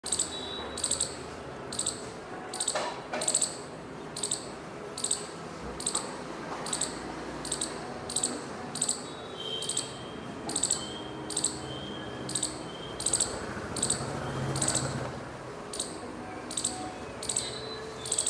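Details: Squirrel calling, its tail moving as it calls: sharp high chirps repeated in bursts roughly every second, each a quick double or triple note, over steady low background hum and rustling.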